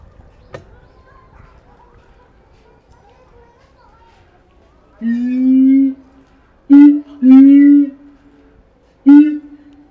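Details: Keiji, a captive siamang at Higashiyama Zoo, Japan, recorded 17 January 2023 on a Fujifilm X-S10 while calling energetically. After quiet, a sustained low booming note comes, followed by three more short, resonant booms with bright upper overtones.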